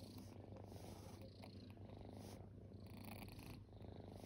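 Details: Formerly homeless kittens at rest give a loud, close purr, a dense low drone that swells with each breath about every second, with breathy hiss on the inhales.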